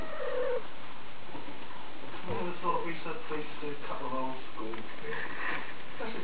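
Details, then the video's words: Kittens three and a half weeks old mewing indoors: short, harmonic-rich mews that rise and fall, several in quick succession in the second half, over a low, muffled background. "Kittens Erin 3.5 weeks old"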